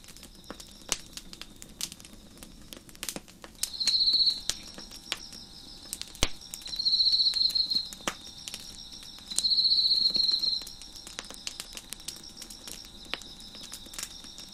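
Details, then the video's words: Chirping crickets behind a crackling fire on a deck: three loud, buzzy, high-pitched trills roughly three seconds apart, each lasting about a second, set against a continuous faint ringing chorus and frequent sharp fire snaps. "Crickets Chirping in the Background"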